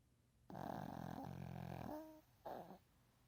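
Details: A sleeping Shih Tzu, recorded 15 January 2019, snores with a long, rough, rattling breath followed by a brief snort.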